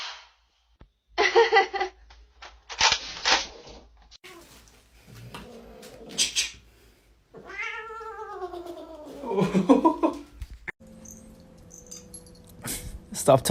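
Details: Pet cat giving a drawn-out meow that rises and then falls in pitch, with clear harmonics, between bursts of scuffling, bumps and other short noises indoors.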